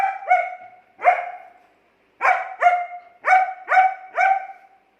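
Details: German Shepherd named Angel talks back to its owner in clear, high, tonal barks, with two quick barks, a longer one, a short pause, then a steady series of five barks.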